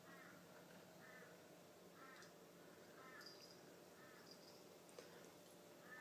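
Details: Indoor Tonkinese kitten, ten months old, telling off a four-year-old German Shepherd: brief harmonic mews repeated about once a second, soft and evenly spaced, against a steady low background hum.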